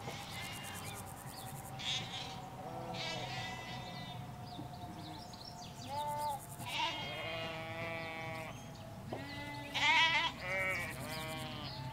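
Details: A flock of ewes and lambs in Hampshire countryside, recorded at a hedge away from the road: repeated bleats, wavering and overlapping, some low and others high and loud, with birds chirping between them.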